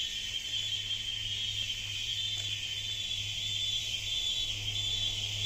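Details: Jungle cicadas droning without pause, a loud piercing high whine steady from start to end, over a low constant hum.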